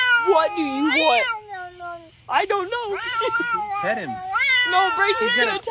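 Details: Domestic cat in a funny cat compilation, giving a run of long, wavering meows that rise and fall in pitch, a brief pause near the middle, then more drawn-out, whiny calls, with a human voice overlapping indoors.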